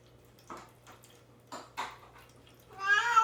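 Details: Caged cat Mame Daifuku, isolated and fasting before neutering, starts a meow at the end after a few soft knocks and rustles indoors.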